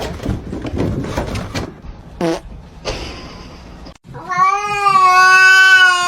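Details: Kitten meowing: after a few seconds of noisy bursts and thumps, one long, steady, harmonic-rich meow holds for nearly two seconds, loud and slightly rising at its start.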